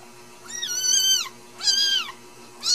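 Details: Ragdoll kittens raised in a home cattery in central Kansas call out in bright, long meows, two clear drawn-out cries with wavering tops and the start of a third, over a quiet indoor hum.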